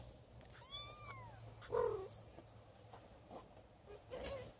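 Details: Don Sphynx kittens, 30 days old, with their mother and father: a thin, high kitten mew that arches up and falls over nearly a second, followed by a short lower squeak, with soft rustling and a faint hum.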